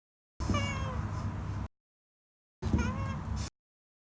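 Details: Kisuke, a pet cat sunbathing and happily raising its rear while being stroked by hand, gives two drawn-out meows about a second long each, separated by a short pause. Each has falling harmonic tones over a low background rumble.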